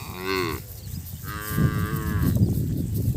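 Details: Calves separated from their mothers bawl for them: a short rising bleat followed by a longer, higher, strained cry, then rustling and low thumping noises.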